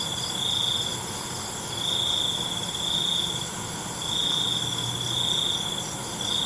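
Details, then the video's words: Crickets calling at night with piercing, even trills in pulses of about a second, separated by short lulls, against a hissy background. "ALUNAN CENGKERIK MALAM"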